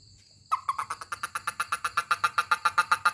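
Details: A toad being touched answers with a sudden, rapid train of pulsed croaks, about seven per second, evenly spaced and growing slightly louder, after a short silent start; faint high electronic tones underneath.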